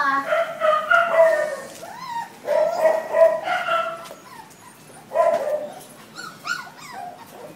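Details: Five-week-old male Labrador Retriever puppies from the first litter of their mother JC, giving high, wavering whines and yelps in short bursts with brief pauses between them, with faint human voices in the background.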